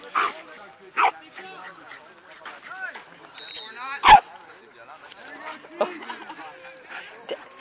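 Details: Alaskan Malamute meeting a four-month-old Boston Terrier puppy during playful socialising; a few sharp barks spaced about a second and three seconds apart, with softer yips and whines in between.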